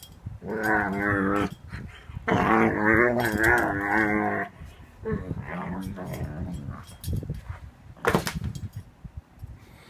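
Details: A 7-month-old Ibizan Hound making funny noises: drawn-out, moaning, yodel-like vocal bursts with rich harmonics, two long ones early, then shorter broken grumbles and a sharp snort near the end.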